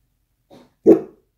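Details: Dachshund indoors gives a single short bark, preceded by a faint soft huff, with nothing else heard.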